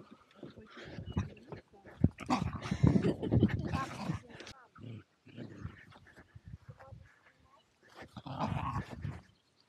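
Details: Zorro and Zula, two Welsh Terriers at play at Torgo Talu farm guesthouse, Estonia, recorded with an Insta360 Go2: dense, rumbling growls and rough scuffling noises in bursts, with a murmur of human voice.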